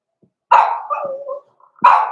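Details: Blenheim Cavalier King Charles Spaniel puppies, born November 14, 2022, in the Red Barn Cavaliers puppy pen indoors. Two sharp, loud barks: the first drags into a wavering whine, and the second follows about a second and a half later.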